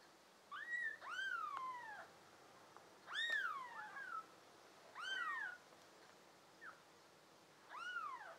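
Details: Pet kittens from a litter of five American Shorthair and tabby kittens, June 2022, produce bright arched meows, some doubled into quick pairs, in irregular bursts separated by short silences.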